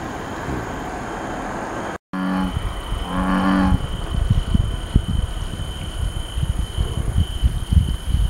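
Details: American bullfrog calling: two short, deep, droning notes like a low moo, about half a second each, over heavy low rumbling noise and a steady high whine.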